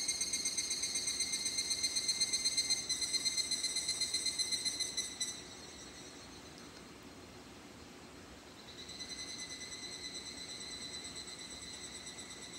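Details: Evening cicada (higurashi, Japanese cicada) call: a clear, bell-like trill of fast, even pulses, about four per second, running several seconds, falling silent briefly, then resuming just as strongly.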